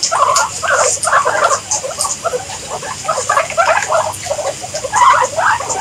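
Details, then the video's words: Guinea pigs uttering clustered, rapid squeaks in short bouts separated by brief gaps, with a faint steady hiss behind. "Guinea Pigs Sound"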